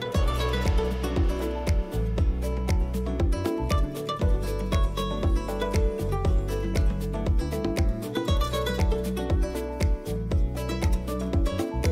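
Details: Rhythmic instrumental music with plucked guitar strings over a steady bass beat plays without pause.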